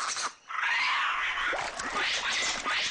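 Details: White-faced capuchins in Costa Rica, living by streams, give harsh, raspy alarm calls warning the troop of a predator, with different calls for different predators, sending the troop leaping from the water into the trees.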